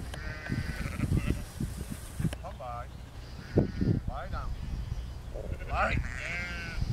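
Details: Herded sheep bleating as border collie Lars, aged four, works the field; three separate tremulous bleats spaced a second or two apart, amid low rumble and occasional thumps.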